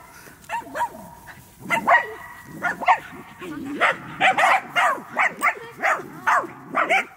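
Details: Medium Poodle running and barking rapidly, with short bright yaps repeated about twice a second toward the end and a person talking alongside.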